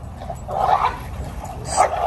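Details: Dogo Argentino brothers, eleven months old, at a park; two short, mid-pitched barks about a second apart over steady low outdoor rumble.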